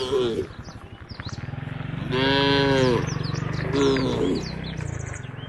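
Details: Herd of tame cattle moving to a field near the forest; brief moos at the start, middle and near the end over a rhythmic low thumping, with birds chirping above.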